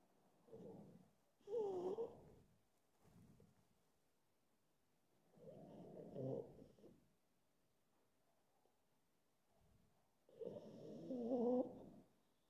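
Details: A pug on the edge of sleep snuffles and snorts in irregular rough bursts, some with a faint nasal whine. Quiet pauses of several seconds separate the bursts.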